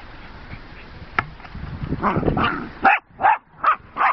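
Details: Jack Russell sisters Rosie and Poppy at play with horse boredom breakers; scuffling and knocking give way to four evenly spaced, sharp barks about every half second.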